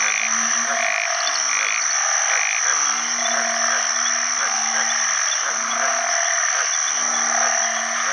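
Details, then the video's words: After a heavy rain at the rainy season's onset, house banded bullfrogs call for mates beside other frogs. Deep, buzzy drones about a second long overlap one another, set against a continuous high-pitched chorus of other frogs and insects. "อึ่งอ่างร้องหาคู่ bullfrog call"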